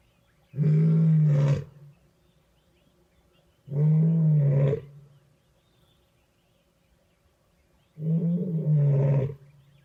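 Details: A lioness with two young sons roars in three deep, throaty bursts on a winter morning, her breath steaming, proclaiming dominance in the heart of the Madrid pride territory after vervet monkey alarm calls gave away her position.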